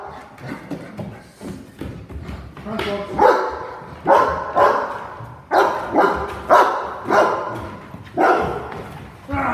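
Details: Cane Corso during a home invasion role play, a man's raised voice shouting at first, then the dog's deep barks repeating about every second over the talking.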